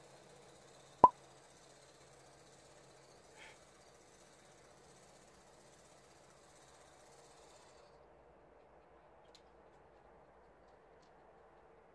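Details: A near-silent indoor room holds a single loud click, a faint soft thump shortly after, and a low steady hum.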